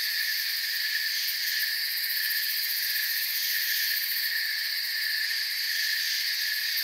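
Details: Forest crickets at night form a continuous high-pitched chirping wash, stacked shrill trills holding an even level with only slight flickers in the top band, no birds, wind or people audible.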